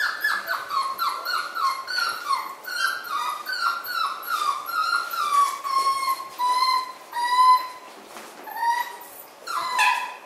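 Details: Miniature Schnauzer puppies from three litters kept together indoors; many high, thin whines overlap, each sliding downward in pitch, following one another in quick succession with little pause.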